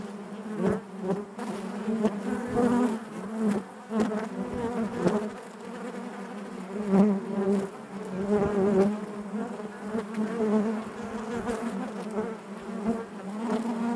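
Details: Continuous hum of a honey bee colony within the hive, a thick low drone with overtones, pulsing in loudness every few seconds and punctuated by short close wingbeat buzzes and faint clicks.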